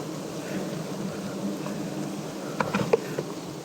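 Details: Wild honey bees at a natural nest high in a big, tall tree while their honey is harvested by climbers. A steady low droning buzz runs throughout, with a few sharp clicks and taps near the end.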